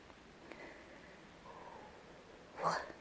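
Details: A roe deer gives one short, harsh, hoarse bark very close by, near the end of a quiet stretch of night forest with faint murmurs; the deer seem to be calling to each other.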